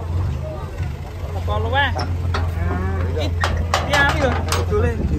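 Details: Sacrificial cattle (sapi kurban) on the rampage, 2024: a short, arching, throaty moo rises and falls near the two-second mark over a steady low engine hum, with human voices and clatter around it.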